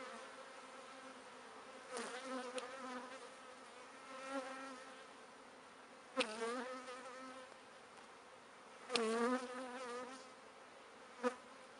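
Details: Bees at the spot where they store pollen give a steady, low buzzing drone with rich overtones, swelling in short louder bursts near two, six and nine seconds, with faint clicks and knocks.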